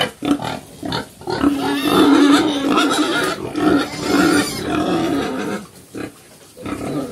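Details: Black pigs called Chrouk Kandorl, mother and young on a Cambodian farm: a steady low whining squeal sustained for several seconds amid harsh grunting, easing into quieter grunts near the end.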